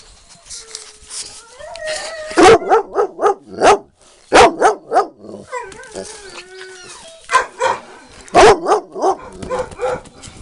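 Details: Yellow puppies playing with a toy, giving quick series of high yelping barks with whiny tones between, a person's voice faintly in the background.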